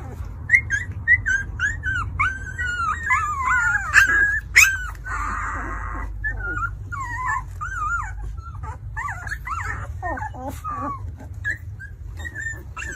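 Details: Two-week-old newborn Alaskan Malamute puppies whimper and squeal in high, wavering, overlapping cries over a low hum.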